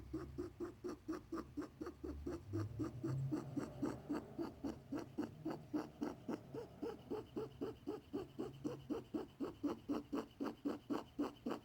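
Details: A male pet rabbit makes fast, steady, soft grunting pulses, about four each second, with a low rumble underneath. His worried owner doesn't know the cause; a vet was unsure and gave antibiotics just in case.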